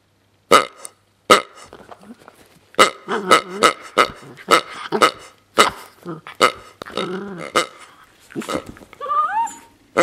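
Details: A 7-month-old female Miniature Pinscher playing with her toy pig makes a run of sharp snorts, grunts and throaty, burp-like noises, ending with squeaks.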